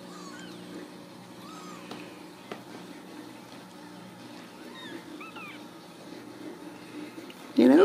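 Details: A litter of Ragdoll kittens from a Kansas home cattery squeaks out faint, high, curling mews at irregular intervals over low hum, ending with a sudden loud rustle.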